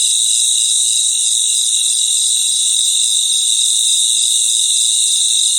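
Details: Crickets at night in a natural chorus: a steady, unbroken high-pitched shimmer made of several stacked ringing tones, with no pauses and no other clear sounds.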